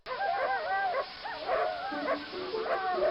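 A dog gives three drawn-out, wavering whines, each sliding up and down in pitch.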